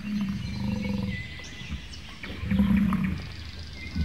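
A bison gives two deep, rumbling bellows, each lasting about a second.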